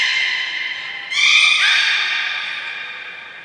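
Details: Beluga whales Gray and Mirai in training at Port of Nagoya Public Aquarium on 15 June 2022, giving a long steady harmonic whistle that jumps to a brighter, louder bent tone partway through, then fades slowly.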